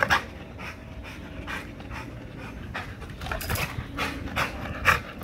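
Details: Strained, loud panting from an XL American Bully tugging on a spring pole in a workout, coming in breathy pulses roughly twice a second, with a sharp rasp near the close.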